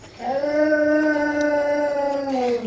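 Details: One of the household dogs, ready for supper, holds a steady, even-pitched howl for over two seconds that dips slightly at the end, in a small indoor room.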